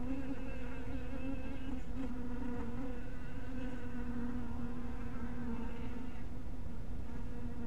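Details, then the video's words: Honey bees at a small hive at dusk, a steady low buzzing hum with a strong tone and stacked overtones, wavering slightly in pitch, continuous throughout with a few faint clicks. "Casetta Api disperse luce crepuscolare!! Cottage Bees with light !!"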